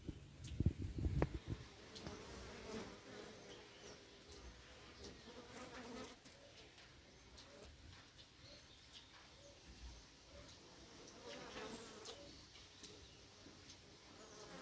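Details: Low, even hum of Africanized honey bees at an apiary in October 2021, opening with a burst of rough handling noise before settling into a soft continuous drone.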